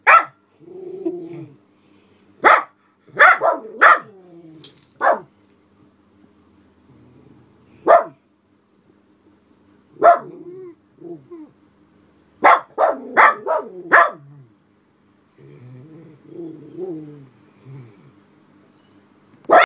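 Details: Senior black Miniature Poodles, Alice and Charlie, bark at the window while a person and dog pass outside; isolated sharp barks and a quick burst of four or five, separated by soft whining and quiet gaps.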